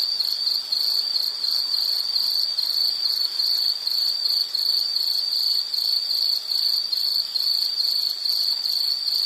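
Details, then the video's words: Shrill insect chirps pulse in a tight, regular rhythm at a single high pitch, a seamless ringing stream with a thin buzzing overtone and quiet background noise. "Sound · Nature Sound of nature sounds scenery L · insect"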